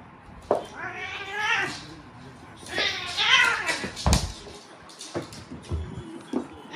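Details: Mio, a rescued stray Korean Shorthair mackerel tabby recovering from a brain condition, gives two drawn-out, wavering meows with rich harmonics, the second louder and rising, followed by a few dull thumps and softer rustles.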